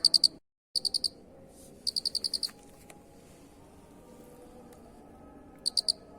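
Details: Cricket master recording for training birds: brief high pulsed chirps early on, a longer six-pulse burst near two seconds, then a quiet stretch with faint clicks before a final short chirp.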